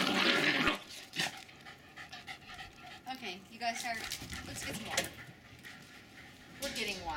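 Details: Two young Jack Russell Terriers, about four and a half months old, playing and chasing each other in a back yard in Lenexa, Kansas, in January: quick panting and snuffling with scattered short yips, with a person speaking.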